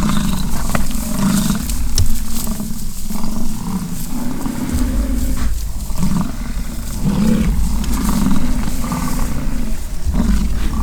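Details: American bison during rutting season on a ranch at Fort St. John, British Columbia, Canada, while bulls fight: deep, rumbling roars repeated every second or two over steady low wind noise.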